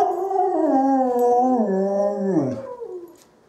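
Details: Dog howling back at wolves: a full, mournful tone that stays steady, then bends downward in a falling slide and trails off into silence.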